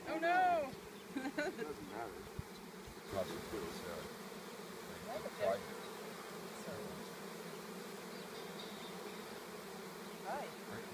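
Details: Bee swarm that fell out of a tree, with the bees inspecting a box where the queen may have gone. A steady low droning hum continues throughout, with a brief human voice near the start.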